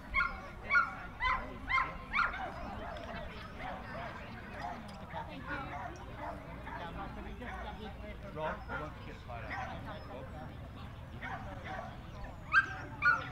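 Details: At the Jack Russell Terrier Club of NSW Speciality Show, Orchard Hills, 15 October 2015, a Jack Russell Terrier gives quick yapping barks in bursts at the start and near the end, amid crowd chatter and other show noise.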